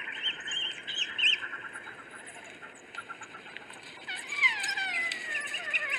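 African wild dogs giving high, bird-like twittering chirps and thin descending whines.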